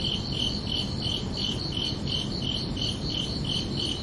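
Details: Night chorus of crickets on a summer evening: bright, evenly spaced chirps repeating about three times a second above a soft low background hum.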